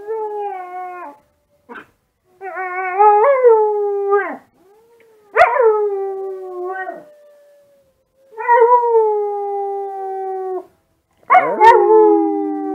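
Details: Kiba, a Husky-mix dog, answers wolf sounds played online with repeated howling in a dark room, phone-recorded. Five or six howls of one to two seconds each rise sharply at onset then level out, with short silent gaps between them.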